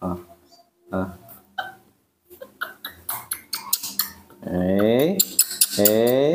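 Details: Newborn baby monkey crying for more milk during feeding, two strident falling-then-rising screams near the end, preceded by a woman speaking Indonesian and small handling noises.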